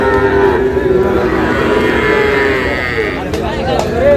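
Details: Sahiwal bull calves for sale at the start of the Ambari cattle market in Dinajpur, 12 June: a steady, drawn-out moo under loud people's talk and market bustle.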